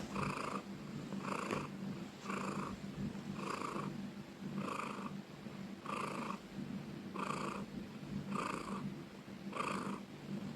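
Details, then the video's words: Loud purring from a pet cat: even, throbbing pulses roughly every second, a soft continuous buzz between them and a low steady hum in the background. "Cat purring loudly ||Suara kucing mendengkur"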